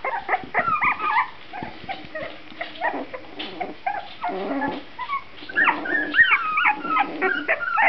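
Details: A litter of puppies aged two and a half weeks, eyes just opened and growing active, gives a chorus of thin squeaky whines and short yips. Several pups call over one another in quick, uneven bursts.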